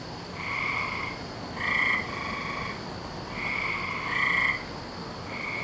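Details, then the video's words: Frog chorus recorded 17 May 2012 during the May breeding season at night: buzzy, tonal croaks lasting about a second, irregularly spaced, some voices overlapping, over constant low noise. "Season Of The Frogs"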